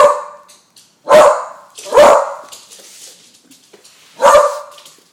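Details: Frightened by balloons, the 10-month-old beagle Bailey lets out sharp barks: a fading one at the start, two close together, a gap of faint rustling, then one final bark.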